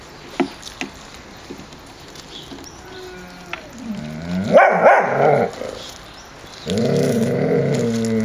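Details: Puppies playing outdoors in a yard on a mild day, 30 January 2013, 14 °C; scattered clicks and scuffles, then a rising-and-falling whining yelp followed by a sustained, rough growling whine near the end.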